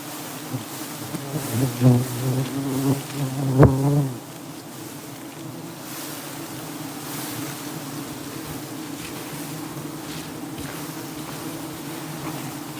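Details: Wild dwarf honey bee colony being robbed of honey: a steady, low droning buzz with a few louder wavering hums early on, then an even hum to the end.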